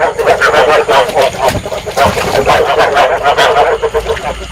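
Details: Field frogs in a dense breeding chorus, used as a trapping lure and said to stimulate breeding, Vietnam: overlapping pulsed croaks that repeat rapidly without pause, a busy mid-pitched throbbing with no other clear sounds.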